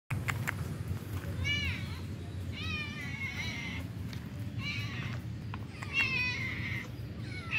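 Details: Stray cats living on the street ask for food as someone arrives; several harmonic meows rise and fall, some wavering, over steady low rumbling background noise.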